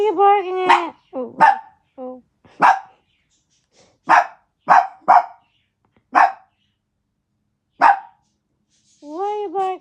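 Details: Max, a pet dog, barking for daddy: a whiny yelp, then a series of sharp single barks spaced about a second apart, ending in a drawn-out, wavering whine.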